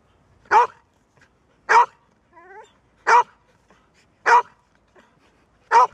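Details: A Golden Retriever that rarely barks gives loud, punchy single woofs about a second apart, with a brief, quiet, wavering whine between two barks.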